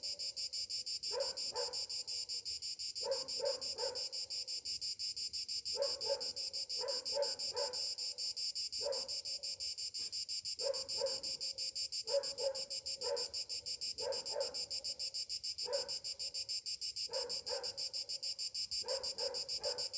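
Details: Summer morning chorus of cicadas, a continuous piercing, rapidly pulsed drone held steady, overlaid by clusters of lower, harsher calls that break in irregularly every couple of seconds.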